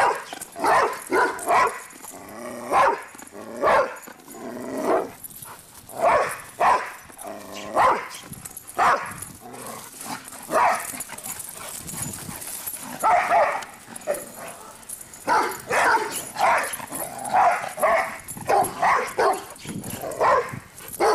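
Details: Pet dogs Cinder and Zoe race around making noise, a steady string of sharp, mid-pitched barks and yips in uneven clusters over twenty seconds, occasionally overlapping, with brief softer pauses between runs.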